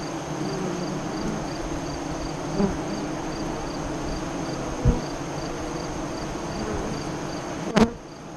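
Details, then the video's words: Hive entrance of honey bees near Lyons, Nebraska, during the 2017 eclipse, with the entrance facing west: a continuous low hum broken by three sharp close flybys or knocks, over a faint rhythmic high chirping. "Honey Bee Hive Eclipse 2017"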